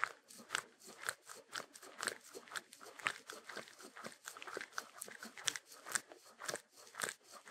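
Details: Shetland Sheepdog chewing food: loud crisp crunches about twice per second, loosely rhythmic, with softer wet chewing noises between bites, close and clear.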